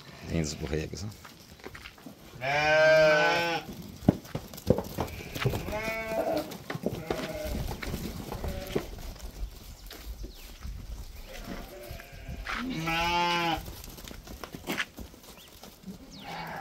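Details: Registered purebred Santa Inês rams, chestnut in colour. Two long, loud, quavering bleats come well apart, with a few shorter, softer bleats between them. Portuguese speech and knocking sounds are heard in the background.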